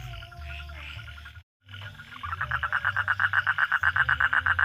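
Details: Frog calling at night: after a short break, a run of loud, even croaking pulses starts and repeats about four times a second, steady to the end, over a low droning hum.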